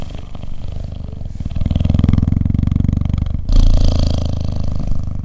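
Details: Cuddling cheetah giving a low, steady vibrating purr that swells louder after the first second and shifts to a new breath phase near the end.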